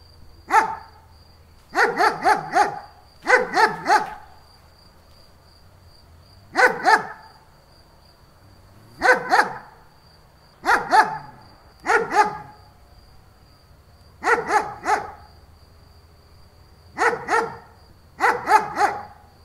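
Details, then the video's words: A German Shepherd barks repeatedly in groups of two or three loud, rough barks, roughly every one to two seconds over twenty seconds, over a faint high whine and low hum. "Dog barking sound german shepherd"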